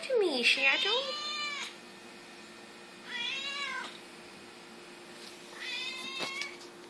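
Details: Black Siamese cat meowing while being talked to indoors: three drawn-out harmonic meows, the first rising then falling, the others arched, about three seconds apart, with a woman's voice coaxing it to talk.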